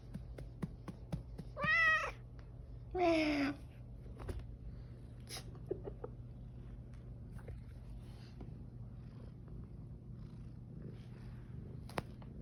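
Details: Cat meowing at its owner, two clear drawn-out meows in quick succession, the second falling in pitch, then quiet with a low steady hum and faint clicks.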